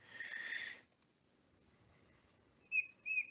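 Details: Darwin's frog gives two short, clear, bird-like whistled notes a third of a second apart after a brief hiss; this song, like a small bird's chirp, is sung on the forest floor and identifies the well-camouflaged, hard-to-see frog.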